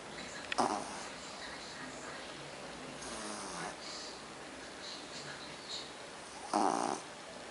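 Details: Pug snoring indoors, three rough, breathy bursts spaced a few seconds apart, the first and last sharpest, with faint hiss between them.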